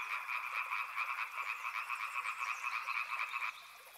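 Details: Chorus of frogs beside a river, a throbbing pulsed croaking that stops abruptly after three and a half seconds, leaving faint background calls.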